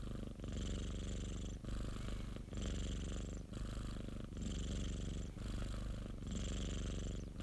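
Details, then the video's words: Pet cat purring, self-recorded at close range: a buzzing low rumble with a breathy hiss on alternate breaths, the phases switching about every one and a half seconds, rhythmic and even. "고양이 골골송 ASMR 1시간(고양이 그르릉 소리) - Cat purring ASMR"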